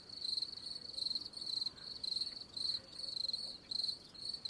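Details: Cricket giving high, pulsed chirps in quick trains, each burst lasting a fraction of a second, coming about twice a second in slightly uneven groups against quiet background hiss.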